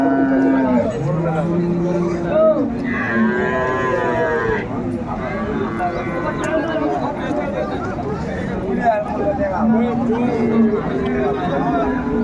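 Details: Indian Hariana bullocks at a Bangladeshi cattle market on 21 April 2024; several low, drawn-out moos rise and fall across the clip amid crowd talk and faint music.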